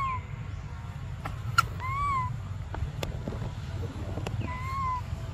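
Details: Cries of baby monkey Briar wanting milk: two clear, slightly arched whistles about two and a half seconds apart, with scattered ticks and clicks and a low hum beneath.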